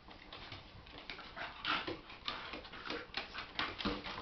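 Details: Two Jack Russell Terrier puppies, Star and Bear, play fighting indoors: soft growls and whimpers mixed with scuffling, paw patter and clicking claws, one brief squeak near the middle.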